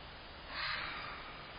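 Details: A fox gives one short, rough scream near midnight outside a house, recorded from a front-porch camera: a raspy, breathy burst that swells and fades within half a second, over faint background hiss.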